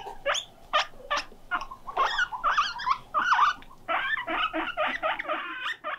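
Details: Pet guinea pig left alone and lonely, calling loudly: irregular bursts of squeaky, rising wheeking notes, some short and some drawn out, with brief quiet gaps between, indoors.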